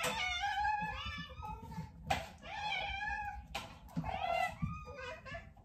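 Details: Several hungry domestic cats meowing indoors while anticipating their meal; three long, rich, harmonic meows rise and fall in turn, overlapping slightly, with faint background room noise between them.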